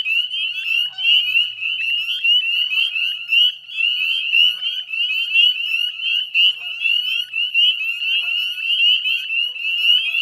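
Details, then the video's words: Northern spring peeper chorus recorded at 9:08 p.m. on a May evening in 2020 beside the Chezzetcook salt marsh, Nova Scotia, Canada: continuous overlapping high peeps, loud pulsing swells, no other sounds. "Northern Spring Peeper Chorus"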